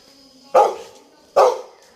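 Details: Two sharp, loud barks from Toby, a pet Labrador Retriever, spaced nearly a second apart. Each is sudden and fades quickly, over a quiet background.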